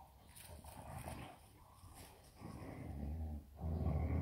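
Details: German Shepherds, a mother and father pair, playing in a garden: low, rumbling play growls, softer and broken at first, then two sustained deeper growls in the final second-and-a-half, with rustling and movement noise.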